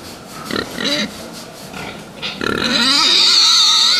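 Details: Fattening pigs: a few quick rough grunts, then a loud, sustained high-pitched squeal that wavers and fills the second half.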